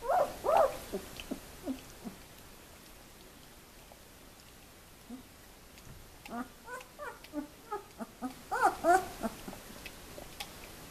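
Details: Litter of two-week-old puppies, Elite/Sweet 2015, at Le Domaine des Pertins; many high squeaky whimpers and yelps in bursts, a busy cluster at the start and another rising chorus from six seconds on.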